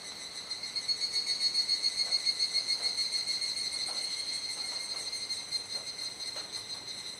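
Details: Cicadas in a dusk chorus at Kuji, Iwate, Japan, 17 July 2017, around 19:11–19:25, late rainy season, unseen. A dense high steady ringing tone pulses about three times a second, stronger early, then evens out and softens slightly.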